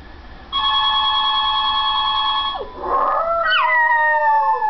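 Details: Maltese dog that had never howled before, howling in reaction to hearing a recording of her sister howling: a steady two-second electronic-like tone, then a loud wavering howl sliding downward, sustained and tonal.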